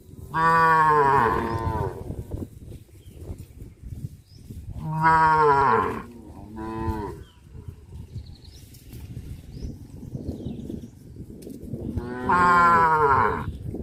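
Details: A herd of cows on a traditional village farm moves through a rice field; three loud, rich moos with stacked harmonics sound a few seconds apart over a low background rumble.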